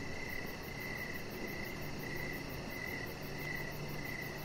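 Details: Crickets chirping outdoors in the evening beside a deck: mid-pitched chirps repeat roughly every half second over a steady low hum, with a faint, very high, rapid ticking pulse running above.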